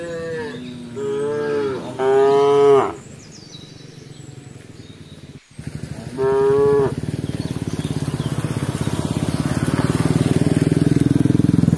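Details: Cows gathered on a road give several drawn-out, harmonically rich moos, the later ones under a steady low rumble.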